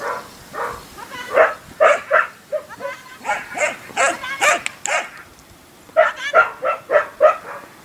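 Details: Portuguese Water Dogs during agility training, giving sharp, fairly high barks in quick runs of three to six, with short pauses between the bursts.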